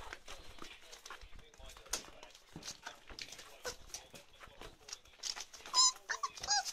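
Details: Ruby's 34-day-old chocolate Labrador Retriever puppies indoors give sharp, high-pitched yelps and squeals near the end, after scattered clicks and small whimpers, over human speech.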